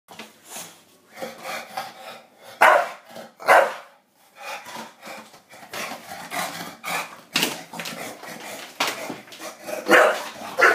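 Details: Bulldog indoors smelling cheesy garlic bread and wanting it: rough, irregular bursts of barks and huffing noises, about one a second, some louder and harsher, in a small room.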